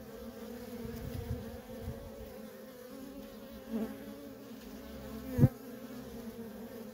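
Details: Honey bee workers in nonstop traffic at a wild colony, a low continuous hum with soft swells as bees pass close, and one sharp loud knock near the end.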